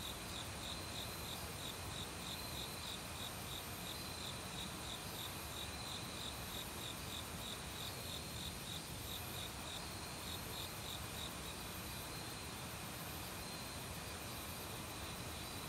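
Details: Forest crickets in autumn, singing loudly alongside other bugs by a mountain stream; a long run of rapid high chirps fades out partway, leaving constant insect whine and the broad hiss of running water.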